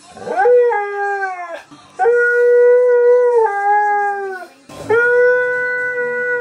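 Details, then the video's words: Siberian Husky Keyush howling indoors for no clear reason, cousin Ivy unsure whether to hide: three rising-then-level howls in a row, each starting with a quick upward swoop, holding steady, then sliding slightly lower, with short breaks between. "Husky SHOCKS his Cousin When He TALKS!"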